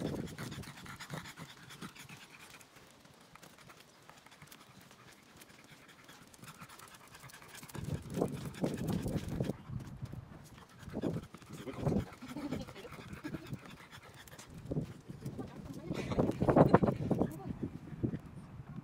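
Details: French Bulldog out on its morning walk, 3 May 2023; quiet at first, then from about eight seconds, loud, fast, rough panting and snorting huffs in clustered bursts, peaking near the end.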